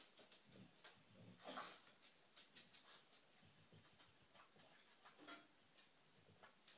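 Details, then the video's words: Treat-seeking female dog sniffs in fast, hissy bursts, with a stronger snuffling rush around one and a half seconds and light nasal puffs after it. "dog searching for treats"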